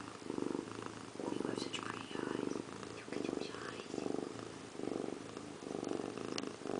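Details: Indiana Piano Rabbit, a pet cat sitting in a bathroom sink while taking a bath, purrs steadily and loudly, each rumbling pulse about a second apart, roughly seven cycles, with faint clicks in a small indoor room.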